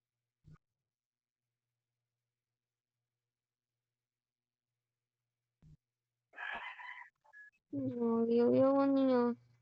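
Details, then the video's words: Neighborhood cat in a feud with an orange cat, giving a long wavering yowl with a rising and falling pitch near the end, after a short raspy cry and a few faint taps in near silence. "Neighborhood Cat always has a beef with orange"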